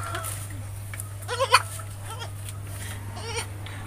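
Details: Etawah goat, a mother that has just given birth to three kids, gives a short, harmonic, wavering bleat in the middle of the clip over a steady low hum, with a fainter bleat near the end.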